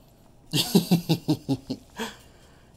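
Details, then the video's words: Guinea pig named Chip playing with his ball indoors, giving a quick run of about eight short squeaky pulses in under two seconds, with a pause and one final squeak, while a person talks to him encouragingly. "Guinea Pig Plays With His Ball"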